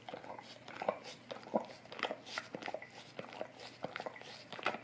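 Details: Close-miked Golden Retriever licking an Orapup tongue cleaning brush inside a small room; a dense run of moist slurping clicks and smacks, several rapid licks per second, steady throughout with no other sounds.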